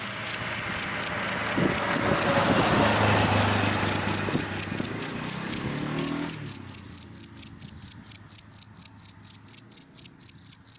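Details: Daytime cricket calling from dry grass, its high, rapid chirps pulsing regularly; a passing car's broad rushing noise covers the first six seconds, then the chirps continue alone and clearly.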